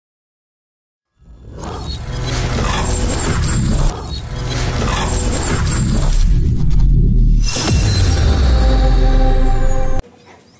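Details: Following a second of silence, dramatic edited music with shattering crashes and whooshing effects builds and then cuts off, with no animal sound present.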